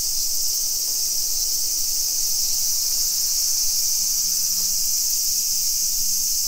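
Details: Cicadas singing on a July 2021 afternoon in suburban Nisshin, Aichi, Japan: a loud, unbroken, hissing high buzz fills the air steadily, with a faint low drone underneath.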